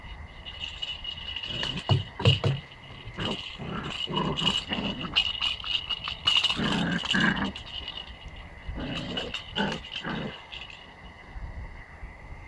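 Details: Twelve-week-old Pomsky puppy playing with a cat toy, giving short rough growls and grunts in quick irregular bursts, with rattling and scuffling toy noises throughout and a steady high tone in the background.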